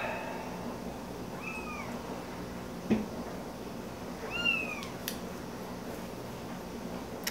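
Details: Hand-raised kitten, found in a park at about two weeks old, playing with a squeaker plush toy twice its size; two short arched mews, rising then falling, about three seconds apart, with soft thumps and quiet room noise.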